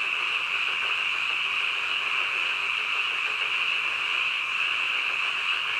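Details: Nighttime croaking of many frogs forms a constant, high, buzzing sheet of sound, with only slight shimmer in intensity over the seconds.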